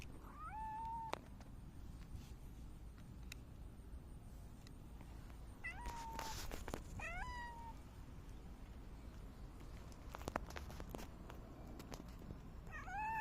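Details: A silver tabby cat meowing on 29 August 2024, giving several short harmonic meows, some rising then flattening, others with a quick upward inflection, spaced a few seconds apart over faint background noise and occasional clicks.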